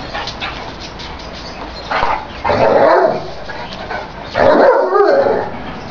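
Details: Gaetano and Madison, a Great Dane and an American Staffordshire terrier at play, give two loud, throaty barks with growling edges about two seconds apart, after soft scuffling and panting noises, against a steady background hiss.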